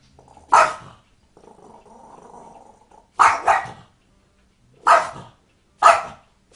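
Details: A dog makes cat-like noises: short, sharp, mewing barks with a low grumbling murmur between them.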